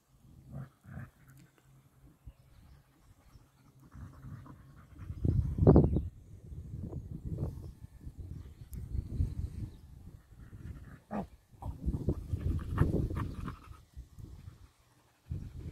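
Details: Rough fight-play among three dogs: a Lab named Nix, husky-shepherd mix Lola and dachshund Happy. Low rumbling growls and snarls swell and fade, peaking in loud scuffles, with quieter breathing between.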